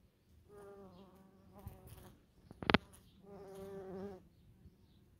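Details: Bees flying around false stonecrop (sedum) flowers in a German garden plot, with bumblebees present; a low, even drone rises and fades twice, each pass lasting over a second, separated by a sharp brief click.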